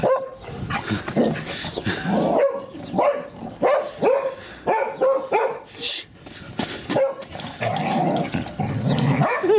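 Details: Daisy, a female English Springer Spaniel, tries to get her son and daughter to play with her, giving a run of short, repeated barks and yips while people laugh and talk in the background.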